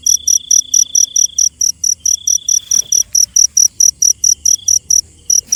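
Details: Cricket at night with quick, piercing pulses at a steady rate, briefly pausing twice. Lower drawn-out trills of another insect come and go beneath.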